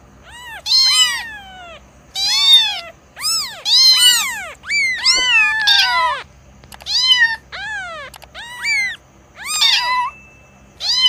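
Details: Young cat calling insistently, a near-continuous string of bright, arched meows, some short and clipped, others drawn out and falling, roughly one per second over the whole stretch, over a faint background hum.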